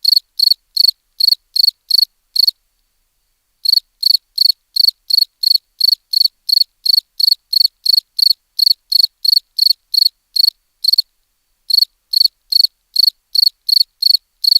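A cricket gives high, bright chirps, about three a second, in steady runs with brief pauses.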